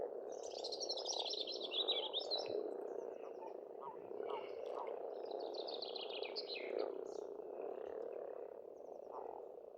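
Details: Spring chorus of frogs at a pond in Estonia, continuous buzzing croaks layered thickly, with songbirds trilling and chattering above, strongest near the start.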